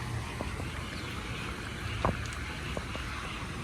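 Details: Steady low rumble of wind and water with a few knocks and thumps, and no animal voices.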